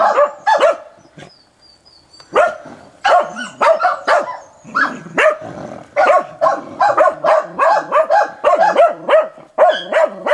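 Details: Hunting dog barking briskly and persistently at a wild boar on 29 December 2017: rapid sharp barks in bursts after a short pause, about two to three per second, with yelping tails and little background noise.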